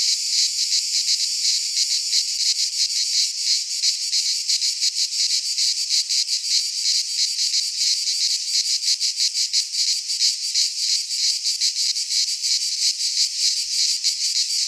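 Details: Greek pine forest cicadas in midsummer, many insects buzzing together in a harsh, high, sizzling wall of sound that pulses fast and evenly for the whole stretch, with no birds or other noises.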